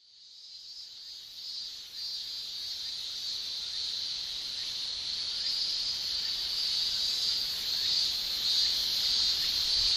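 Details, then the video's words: Male cicadas in Japan in summer shrilling with their tymbals: a dense, steady high-pitched hiss that fades in over the first second, then grows gradually louder with faint rhythmic pulsing throughout. "Japan Summer Cicada Shrilling"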